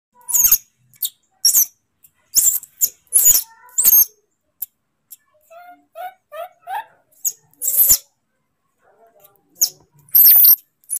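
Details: Moni the monkey throwing a tantrum: sharp, shrill squeaks and screeches in short bursts, with a softer, chattering run of wavering calls in the middle before more piercing shrieks near the end.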